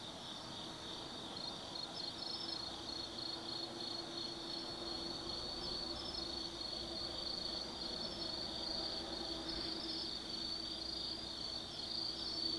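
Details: Night chorus of autumn insects in the forest at Tsukimi no Mori, Nanno-cho, Kaizu, Gifu, Japan: continuous high ringing trills from many callers, with faint chirps flickering on top and a soft low drone beneath.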